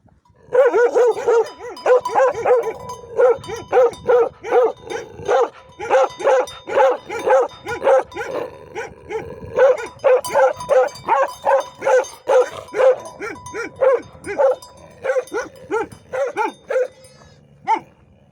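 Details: Protective livestock guardian dogs of shepherd life bark in a long, steady volley, rapid deep woofs repeated two to three per second with brief pauses, continuing for most of the stretch before tapering to a single final bark.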